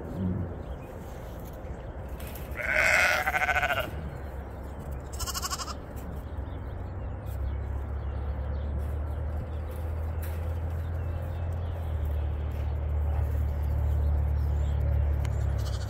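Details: Sheep bleating on a snowy homestead during loading as the snow melts away; a wavering bleat of about a second and a half, a shorter one after, then a steady low engine-like hum.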